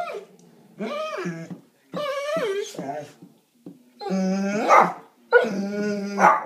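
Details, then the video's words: Pet dog crying like a baby indoors: four long, drawn-out whining wails with strong harmonic tones, some bending downward at the end, separated by short pauses. "My dog cries like a baby"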